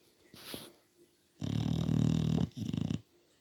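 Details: English Bulldog sleeping and snoring indoors: a long, low, rattling snore for about a second, a short pause, then a shorter rumbling snore, with a faint snuffle before them.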